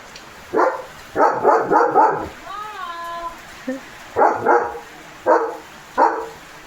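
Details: Leo, a German Shepherd guarding a village farm in the morning, barks at cattle, vehicles and other dogs: deep, loud single barks, then a quick burst of four, then more spaced barks. A brief tonal whine-like sound occurs mid-clip amid light rain.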